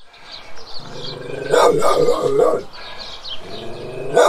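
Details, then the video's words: A large guardian dog barks several times. Deep, harsh barks come in a quick cluster of three near the middle and one more at the end, over a steady low harmonic drone. "Large Guardian Dog Barking Several Times"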